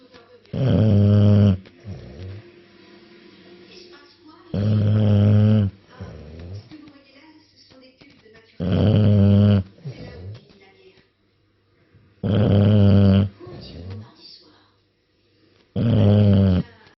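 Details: Heavy, buzzing snores from an English Bulldog: five rough, low rumbles about three to four seconds apart, each followed by a shorter snorting breath, in a quiet room.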